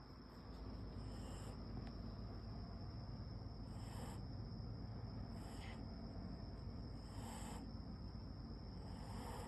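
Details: Siberian Husky puppy snoring while asleep; a steady low rumbling breath fills the recording, with soft brighter puffs recurring roughly every one and a half seconds.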